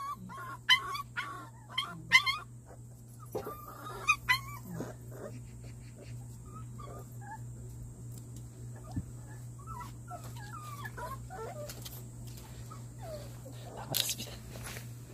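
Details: Indoor one-month-old Jindo–fighting dog mix puppies, Simba's litter, being vaccinated; squeaky harmonic whimpers and yips cluster in the first five seconds, then sparse faint whines and a few soft knocks over a constant low hum.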